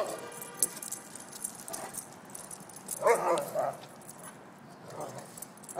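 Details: Weimaraner brothers Argento and Seurat, two years old, play-wrestling and teasing each other in NYC; a short harmonic growling bark rises midway, with faint rustling and a few softer grumbles around it.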